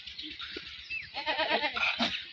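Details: Makhi Cheeni male goats kept for the 2022 Eid sacrifice at a farm in Dera Ghazi Khan, a lot of 45-50 animals; a brief wavering, harmonic bleat rises mid-clip over steady farm background noise.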